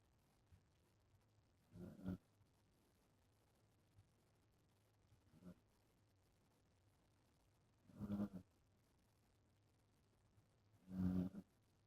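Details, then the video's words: Pet dog that has fallen back asleep, snoring. Short rough snorts come every three seconds or so, with the later ones louder and fuller. Near silence lies between them. "My snoring dog pt. 2"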